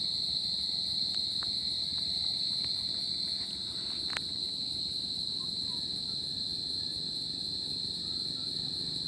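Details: A continuous shrill trill of crickets fills a tropical summer night, steady throughout, with a few soft ticks and one sharp click near the middle.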